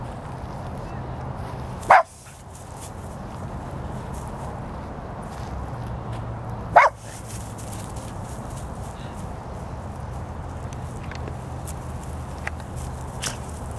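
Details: Pekingese mix named Shai in a park, acting tough toward two other dogs: two sharp single barks about five seconds apart over a steady low hum and background noise.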